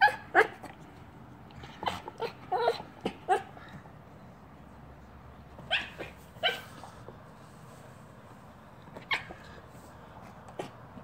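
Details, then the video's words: Frustrated silver Yorkshire Terrier, usually silent, working at a snack-filled chew toy; quick sharp yips and whines in a dense opening burst, then scattered single cries amid light handling noise. "Silver Yorkie wants snack from toy. Makes funny noises"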